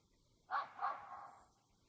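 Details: Domestic cat at a yard-cat feeding spot on a firewood-delivery day amid winter preparations; one loud meow in two surges, a sharp opening cry then a drawn-out, slowly fading tail lasting about a second, over faint background noise.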